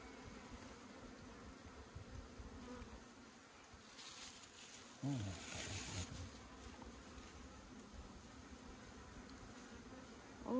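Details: Honey bees from a kept hive in the hills of Puning, Guangdong, buzz as the hive is opened and honeycomb is cut. A steady low droning hum continues throughout, with a brief louder thump midway.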